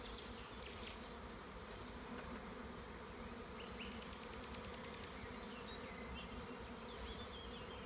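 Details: Large honey bee swarm being removed from a tree by a beekeeper in the Tuscan Maremma countryside, Italy, in spring: dense, steady low humming drone throughout, with faint scattered bird chirps higher up.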